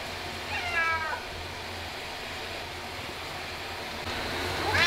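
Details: Ragdoll cat that hates baths yet cooperates, crying out during a year-end bath. A short falling meow near the start and a rising, strained cry at the end, over a steady low hum.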